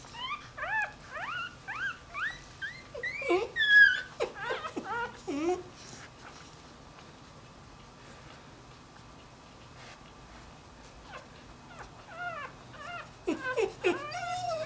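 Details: Puppy whimpering and yelping indoors, a run of high rising whines with harmonics in the first half, then quiet stretches with a steady hum, more whines near the end; some speech mixed in.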